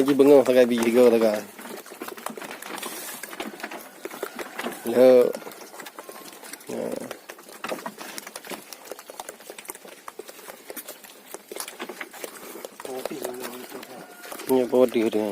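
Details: Gibas sheep kept on a farm for three-month fattening bleat in short, trembling bursts at the start, middle and end, with busy clattering and rustling filling the gaps between calls.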